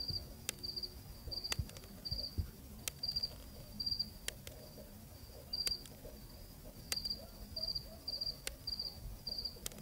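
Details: A cricket in the Zambian night, recorded on location, sings in brief pulsed chirps, sometimes paired, spaced about half a second apart, over a low outdoor rumble and occasional clicks.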